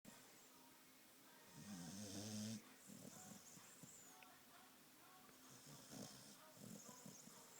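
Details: Sleeping female Australian Cattle Dog, a red heeler, in deep sleep: quiet low snoring with one louder, buzzy inhalation of about a second, then softer breathing snores against faint room hiss.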